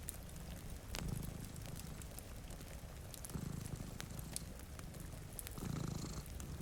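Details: Purring from two cats asleep before a rain-streaked window: a deep, buzzing rumble rising in three surges about two seconds apart, with pattering rain and occasional crackling from a fire.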